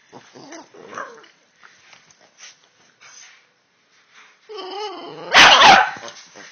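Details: Boston Terriers indoors, with soft scattered grumbles and rustling noises first, then a rising harmonic whine followed by one loud burst of barking near the end.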